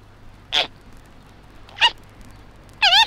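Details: A baby koala about six months old in Australia gives three high, squeaky cries about a second apart, the last longest with a wavering, warbling pitch, over a faint low hum; 1968 recording.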